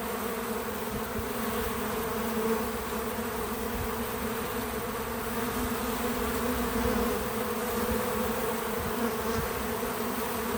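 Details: Many bees working a feeder on a small farm outdoors, giving an even, unbroken wing hum that stays steady throughout, with faint rises and falls as individuals come and go.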